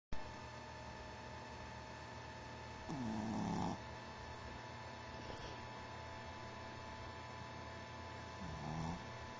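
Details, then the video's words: Riley, a sleeping puppy, snoring softly: two slow, low rumbling breaths with a rising harmonic pattern, well apart, over a steady hum of household background noise. "Riley, The Meandering Pup Snores"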